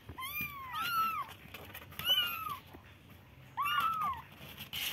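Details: Three thin, arched kitten mews spaced about a second or more apart, each rising then falling in pitch, in a quiet indoor setting.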